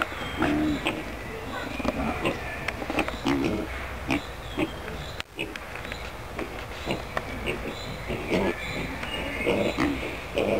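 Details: Curious small pot-bellied pigs in the animal enclosure of a town park at Pöhlberg, Annaberg-Buchholz, Germany, grunt and snuffle in short, low bursts, with human voices mixed in.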